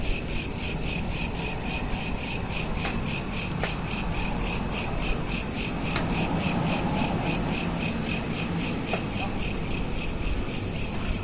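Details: Crickets chirp at night in a continuous, high, shimmering trill that pulses evenly without pause, recorded on a smartphone, over a soft low rumble and occasional faint clicks.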